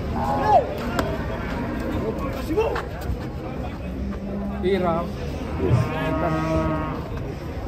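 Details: Giant cows coming off a truck in 2024: short, low moos rise out of a noisy scene midway and near the end, mixed with people talking and general bustle.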